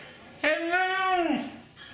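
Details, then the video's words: Mishka, a Siberian Husky, "talking" by saying "drone": one smooth, rich, harmonic howl-like vocalization just under a second long. It holds a steady pitch, then slides down at the end. "Mishka says "Drone" - Talking Husky"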